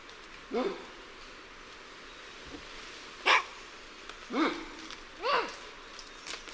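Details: Lion-tailed and bonnet macaques calling in alarm from varying perspectives: four hoarse barks, one sharp and bright, others with arched, wavering harmonic tones, spaced roughly a second apart over a quiet, hissy background.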